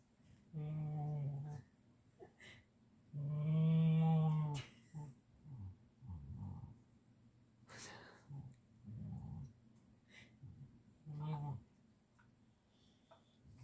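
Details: A petted male Siberian Husky gives two low, sustained growling moans, the second louder and longer, followed by softer grunts and scattered rustling and brief human voice sounds.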